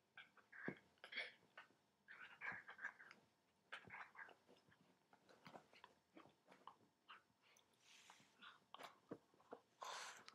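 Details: A dachshund puppy named Schnoodles squirms on a couch, giving quick breathy snuffles and grunts in a busy, uneven string, with nibbling clicks and rustles throughout and a couple of louder huffs near the end.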